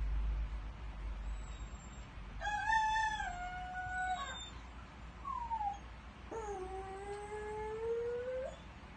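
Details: Pet dog howling in a way likened to a rooster's crowing: two long, steady, harmonic wails of about two seconds each, with a short falling yelp between them, over a low background rumble.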